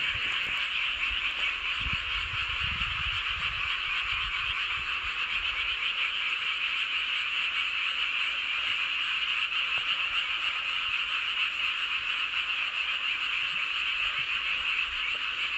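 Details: Full-moon chorus of frogs in Seowon-myeon, Hoengseong, Gangwon Province, Korea; continuous high, buzzing croaks layered into a steady roar, with low rumbling noise during the first six seconds.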